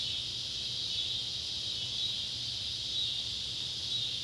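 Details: Neotibicen pruinosus and Neotibicen tibicen cicadas calling at sunset by an old tobacco barn in Ballard County, Kentucky, on July 31, 2013: a steady, high, hissing drone that swells gently and never breaks, with a faint low hum underneath.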